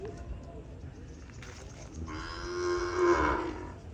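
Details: Peranakan Ongole cattle from Kebumen being shipped to Klaten, Indonesia: one steady, moderately loud moo of about two seconds rises out of low rumbling background noise.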